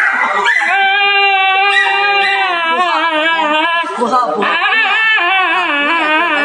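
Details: Dog getting an injection, giving a long, wavering, high crying howl that rises and falls without a break, with a short dip near four seconds, while a person speaks soothingly in Chinese.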